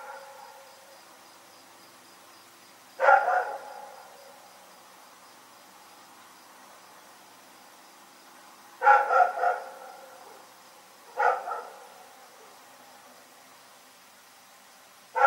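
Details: Night-time barking from Rex, a dog in Pyrga: a single bark, then a quick run of three barks, a lone bark and another opening bark spaced several seconds apart, with near silence between.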